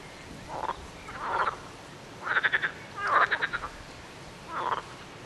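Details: Frogs calling in short rattling croaks, each a quick train of pulses, coming in separate bursts about every second, some louder and closer than others.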